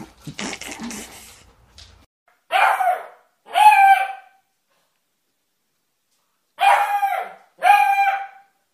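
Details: Puppies in a small indoor room, one producing four high-pitched yelping barks with bright harmonic tone in two pairs, preceded by brief rustling and handling noise at the start.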